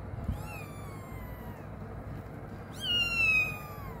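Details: Cat giving two drawn-out meows, each starting high and sliding steadily downward in pitch, the second louder and more strained after a short pause, over a low indoor background hum.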